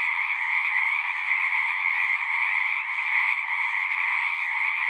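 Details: Chorus of many singing frogs in a natural setting: a dense, unbroken wall of croaking trills with two steady bands, one lower and one higher, holding even loudness for the full five seconds, with no other sounds.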